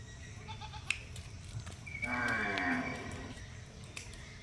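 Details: Cow kept for the Eid sacrifice, heard in one drawn-out, low, harmonic moo lasting about a second near the middle, with quiet background chatter and household noise before and after.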